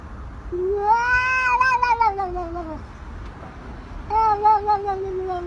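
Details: Domestic cat producing a rising-then-falling wavering meow lasting about two seconds, followed after a pause by a second long, slightly quavering meow; background quiet apart from faint low hum.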